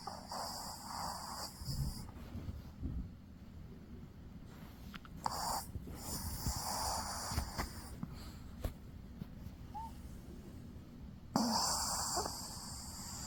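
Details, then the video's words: Dog asleep, snoring with rough, hissing breaths that come in uneven bursts of one to two seconds, with quieter rasping between them and a low steady hum in the background. "강아지 코골이"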